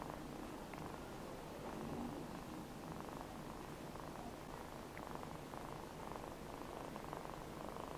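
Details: Rescued one-eyed feral kitten named Namba, male, purring indoors: a soft, steady rumbling throb made of fast even pulses, swelling in short bursts with a faint hiss of room noise underneath.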